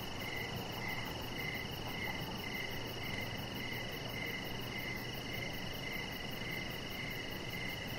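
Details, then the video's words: Evening chorus of crickets heard from a backyard deck, with a chihuahua puppy resting nearby; evenly spaced chirps come roughly every half second, layered over a continuous high-pitched trill and soft background hiss. "Cricket Sounds"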